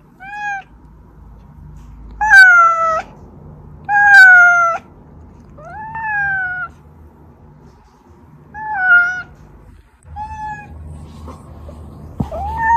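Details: Oz, a pet cat whose meows are used to call hiding housemates Meonji and Dubu, meowing repeatedly indoors: a series of clear harmonic meows, some rising then falling, others short and flat, spaced irregularly about two seconds apart with low background hum.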